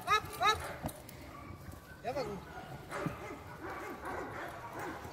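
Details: Presa Canario, an eight-month-old working puppy in security dog training, giving a few harmonic barks in quick succession at the start, then scattered softer barks amid human voices and background noise.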